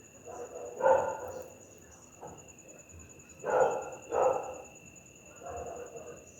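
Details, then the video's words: Nighttime barking attributed to an angry pit bull, softer and more distant barks, a few in close pairs, irregularly spaced, with a persistent high whine throughout. "Efeito sonoro de PITBULL LATINDO A NOITE"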